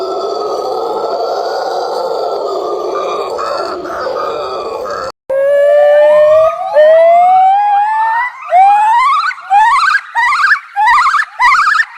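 Monkey calls: a rough, droning growl, then a run of rising whooping hoots that quicken and climb.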